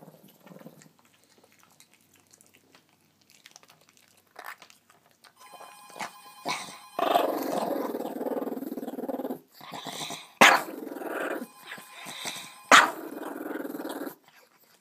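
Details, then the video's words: Dog reacting to someone trying to take his food, quiet at first, then sustained snarling growl with two sharp loud snaps or barks near the end, indoors. "Dog goes crazy when you try to take his food."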